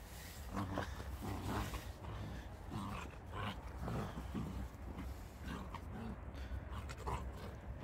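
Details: Iki, a Jindo dog at a rural farm, plays in snow more than 30 cm deep between greenhouses after heavy snowfall. Rough growling and grumbling bursts come again and again, with human voices in the background.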